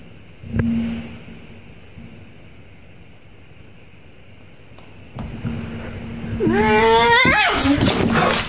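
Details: Cat from a compilation of wild, mischievous pet cats; near the end a loud, wavering meow slides up then down with rich harmonics, following a brief thump and a low steady hum in a small indoor room.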